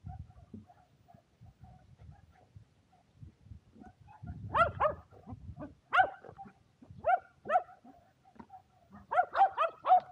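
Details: Shetland Sheepdogs Power and Beat, two dogs playing frisbee together on a sunny day, 23 February 2022; after quiet low rumbling, sharp excited barks burst out singly and in quick pairs, the loudest cluster near the end.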